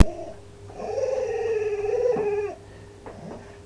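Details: Dog making funny sounds: a drawn-out, wavering, tonal whine of almost two seconds that dips at its end, then a brief fainter yelp-like note, over a steady low background hum.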